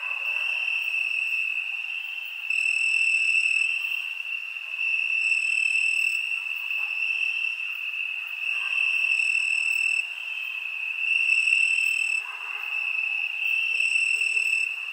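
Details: Many crickets trill together on a summer night in one piercing, unchanging tone. Overlapping singers make the volume pulse up and down every few seconds, with no other sounds.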